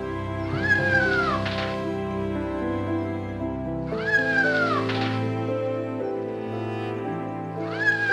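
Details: Domestic cat meowing, each meow a drawn-out call that rises then falls, about three in eight seconds, over steady background music.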